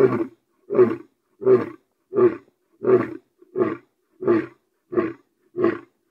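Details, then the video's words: Lion roaring in a steady series of short, deep, grunting bursts, about nine in six seconds, each rough and throaty with a low booming core, spaced under a second apart in a quiet setting. "Majestic Lion's Repetitive Roars"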